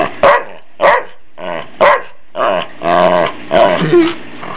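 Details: Ike the family dog, being playfully teased and loving the attention, lets out loud repeated barks mixed with longer growling, moaning vocalisations, about one per second, over a low electrical hum.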